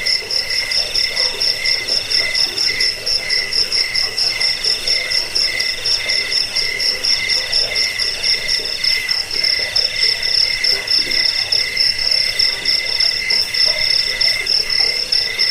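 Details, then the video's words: Continuous cricket chorus, intended to scare off rats, ease sleep and tutor birds; bright high trilling in stacked layers with loose, uneven pulsing and a faint soft murmur lower down. "Suara jangkik pengusir tikus pengantar tidur"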